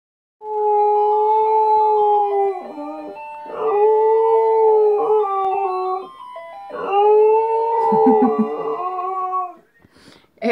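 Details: An Alaskan Malamute sings for the first time along to a melody playing from a Doraemon toy car, howling in three long, wavering, melodic bouts, each a few seconds long.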